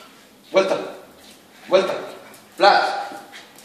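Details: Jack Russell Terrier, 180 days old, barking on command during trick training indoors: three sharp single barks roughly a second apart, each quickly fading, in a quiet room.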